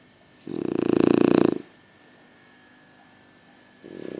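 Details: Sleeping French Bulldog giving one loud, rattling snore of about a second with a fast fluttering texture, then a pause in a quiet room before the next snore starts.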